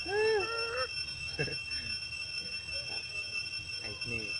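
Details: Mother monkey calling loudly, possibly alerting other monkeys to something she has seen: a loud, arched tonal note that rises then falls, with harmonics, followed by a shorter wavering note, then quieter scattered sounds over a steady electronic hum.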